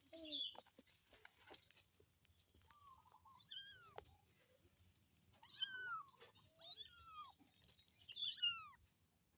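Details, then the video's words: A kitten cries for its mother with a run of thin, high-pitched meows, each bending sharply downward, repeated every second or two among light tapping sounds. "the sound of a kitten calling its mother"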